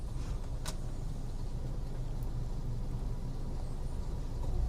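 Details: Steady low car engine rumble fills the recording, with a couple of brief sharp clicks and no animal voice.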